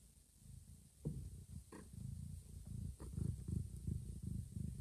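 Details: Mama cat with two newborn kittens, moving a kitten to a safe hidden spot; deep rhythmic purring, pulsing roughly three times a second, growing slightly louder toward the end.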